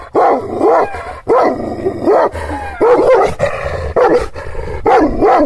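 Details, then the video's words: Angry Kangal shepherd dog of the Aksaray Malaklı type, filmed in Anatolia, Turkey, reacting to strangers near its owner's property; deep, loud barks with a slightly tonal, howling edge come roughly once a second, six bursts in a row. "Kangal çoban köpeği Aksaray malaklisi Anadolu aslanı vahşi hırçın kızgın köpek havlaması urmesi sesi"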